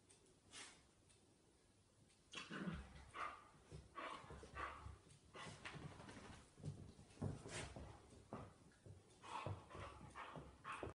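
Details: Irish Terriers, a 10-week-old female puppy and a 5-year-old male, fighting with each other: after two quiet seconds, bursts of rough growling and short yelping sounds follow in quick, irregular succession, with scuffling between them.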